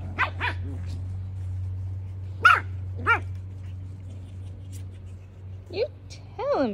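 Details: Havanese puppies, a mixed group of littermates including Hulu, Roku, Tubi, Christine, Phantom, Raoul and Solo, playing intensely outdoors with room to run; sharp yips and short arching barks burst out irregularly over a steady low hum.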